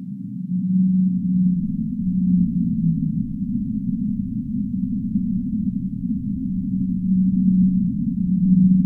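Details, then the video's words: Whale song in a relaxing sleep recording: low, drawn-out tonal moans held for a second or more, steady and slightly wavering, repeating over a constant deep rumbling wash of noise. "relaxing Whale sounds"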